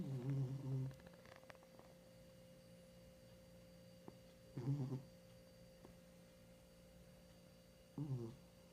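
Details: Babe, a 15-year-old female cat, snores while asleep. Three buzzy, low snores come at intervals of about four seconds: a long first one, then two shorter ones. A steady electrical hum runs underneath.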